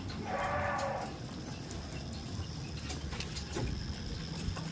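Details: A tame farm goat gives a single short, nasal bleat at the start, followed by low, rumbling background noise with no further calls.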